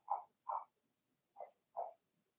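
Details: Young Blenheim Cavalier King Charles Spaniel puppies in a home puppy pen, from a litter of six born in March, give four soft, clipped, mid-pitched barks in two quick pairs against a quiet room.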